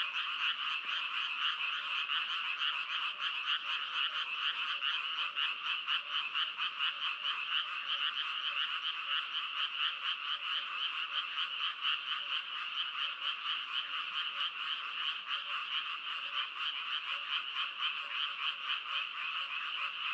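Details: Frogs fill the air with a long, unbroken chorus of quick rattling croaks, around four pulses a second. The many overlapping voices make an even, buzzing drone with no other sounds.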